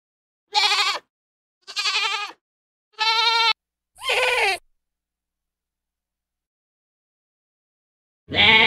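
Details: Goat calls heard as four short quavering bleats in quick succession, then a pause of several seconds before another bleat starts at the end.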